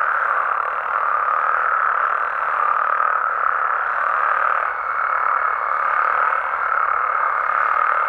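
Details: Frogs and toads of Mexico calling after dark: many voices merge into one steady, humming chorus with slight rises and dips, and a faint thin tone entering during the second half.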